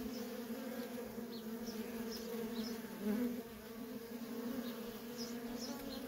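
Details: Worker honey bees in nonstop traffic at a feral colony: a steady, deep droning hum with a brighter overtone layered above it. Faint, brief high chirps surface now and then in the background.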